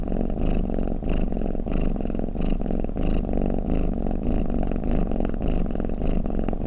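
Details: A house cat snores with a gravelly, buzzing rumble, each breath a distinct swell about every 0.6 seconds, the drone unbroken and clean.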